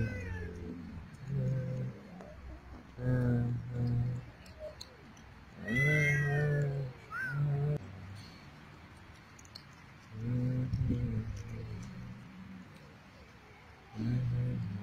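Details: Wild black-and-white Himalayan Persian cats being fed in Arabia; drawn-out, wavering meows rise and fall around six seconds, with shorter cries scattered through, while low human voices talk in between.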